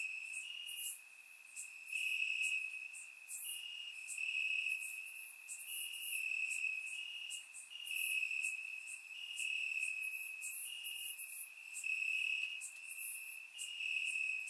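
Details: Grass crickets at night in Bulgaria during warm summer weather: a constant piercing trill with rhythmic pulses of louder high chirps recurring about every second, swelling and fading in volume, recorded in surround sound.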